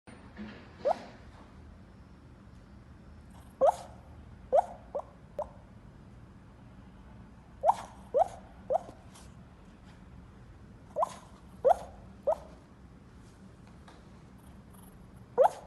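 A sleeping puppy snores in tiny squeaky pops, like drops of water falling.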